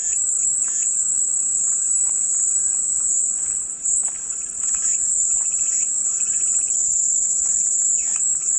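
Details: A high, even cicada drone, presented as calming white noise, continues throughout with slight wavering in intensity, accompanied by faint scattered chirps lower down.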